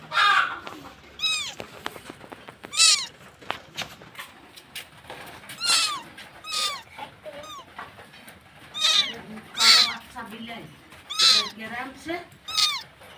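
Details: Cat in Bangladesh meowing repeatedly, falling high-pitched meows coming every second or two over about thirteen seconds, with clicks and faint background noise between them.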